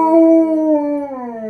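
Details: Tonka, a pet Alaskan Malamute cuddling on the couch, howls back while his owner sings "You Are My Sunshine". A smooth, sustained, tonal howl with rich harmonics, sliding slowly downward in pitch over about one and a half seconds.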